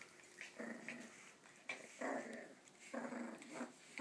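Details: Two male Parson Russell Terriers, long-legged Jack Russells, play fighting with each other indoors, 3 August 2013; rough, buzzy growls in bursts of about half a second to a second, rising and falling, with short gaps between.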